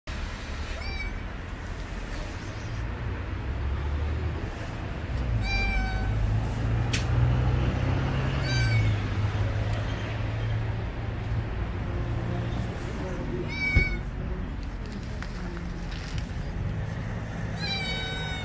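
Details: Stray street cat meowing loudly as if wanting to tell something: five loud, wavering, rising-then-falling meows spaced several seconds apart over a steady low rumble of traffic.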